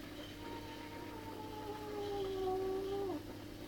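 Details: Garden cat angered by a magpie and a trespassing cat; a low, steady, moaning yowl that gradually strengthens, then drops sharply and cuts off near the end, over a constant low hum.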